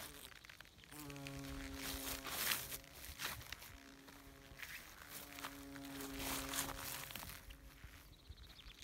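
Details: A bumblebee in the mountains hums past in deep, steady buzzes that rise and fade, once early and again later, with rustling and faint scattered noises between passes.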